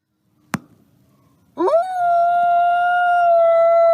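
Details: Wolf howling: a sharp click, a second of quiet, then a long steady tonal howl that swoops up and holds level to the end, with rich harmonics above.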